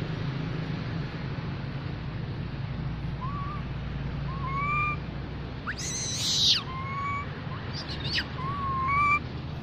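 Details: Baby mona monkey calling to its group: a series of thin, clear whistled notes, each briefly rising then held level, repeated about five times at irregular intervals over a steady low hum, with a short harsh scraping burst midway.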